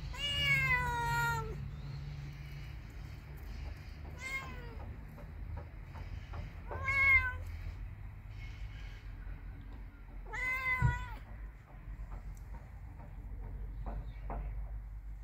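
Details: Cat and kitten meowing: four clear harmonic meows, drawn-out and slightly falling, spaced a few seconds apart, with a low hum beneath and faint clicks between calls.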